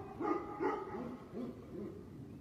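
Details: Tibetan mastiff giving a run of deep, rounded barks, about five in quick succession, each short with a harmonic-rich tone, fading slightly toward the end; no other clear sounds.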